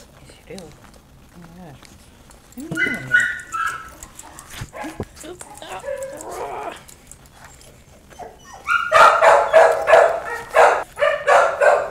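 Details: Puppies giving a burst of loud, rapid, harsh yaps near the end, after a quieter stretch of scattered high squeaks and whines; human voices are heard throughout.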